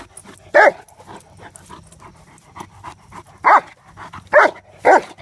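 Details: During play with the trap, Mace the mastiff gives one sharp bark, then quieter huffing, then three more loud barks close together near the end.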